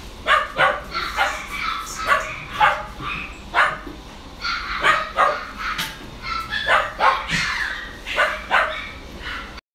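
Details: Westie at a Kawanishi pet shop in Japan barking steadily, a run of roughly seventeen sharp, high yaps over ten seconds, sometimes doubled, with brief gaps and faint room noise behind.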